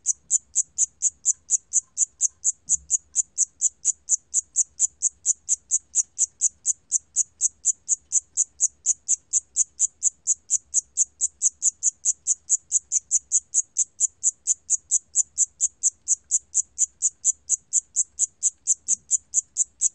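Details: Siamese cricket producing an unbroken series of shrill, pulse-like chirps at a steady rhythm of about two per second, with a faint low thump near the start.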